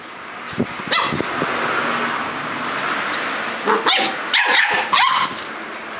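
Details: Collie puppy, 57 days old, outdoors, filmed 9 March 2012: a couple of sharp, high yipping barks early on, then a quick cluster of several barks near the end over steady outdoor hiss.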